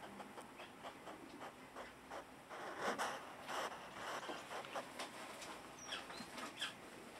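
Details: A hedgehog snorts and snuffles in quick, irregular breathy puffs, some louder and sharper than others, which is said to be a healthy sign.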